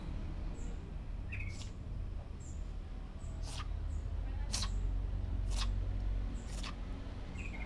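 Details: Sick Persian cat with sneezing and a runny nose, still eating a little: four sharp, noisy bursts roughly a second apart, over a steady low rumble, with faint bird chirps.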